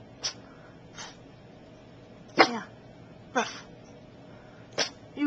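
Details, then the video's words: A male Boston Terrier gives short, snorting sneeze-barks at a perceived enemy, spaced one to two seconds apart, as a warning. "Archie the Boston Terrier's funny bark"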